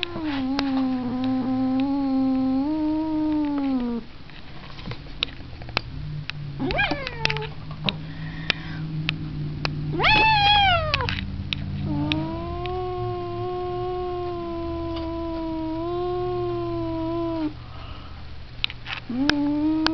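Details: Cat caterwauling in long, low, steady wails, one at the start and another lasting about five seconds later on, broken by short, higher cries that rise and fall and by a low rumble in the quieter middle section.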